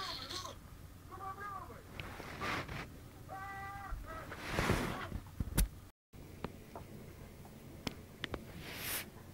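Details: Babies of Chinita and Kim, kittens aged 28 days, call in brief, slightly falling mews spaced a second or two apart, among rustling, knocks and a steady low hum.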